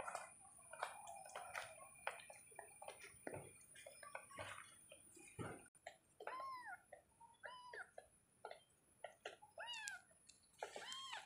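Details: Pet kittens meowing repeatedly: clicks and rustling at first, then a rapid series of short, rising-then-falling mews, about one every half second, under a faint constant high tone.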